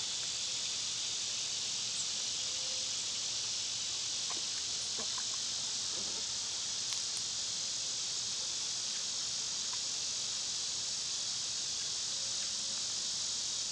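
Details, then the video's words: Cicadas singing in summer, a continuous shrill buzzing drone that never breaks, with scattered short faint chirps and a soft low tone in the background. "Cicada sounds"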